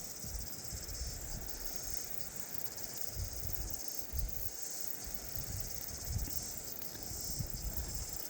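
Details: A crowd of cicadas too numerous to count calling at once on a summer beach walk at Bell Block, New Zealand: a continuous high buzzing chorus with pulsing swells, over wind buffeting and footsteps.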